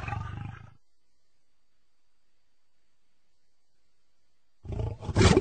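Low, throaty roars from a lion open and close the recording, each heavy and rough with most of the power in the bass. A few seconds of near silence separate the first fading roar from the louder one that follows.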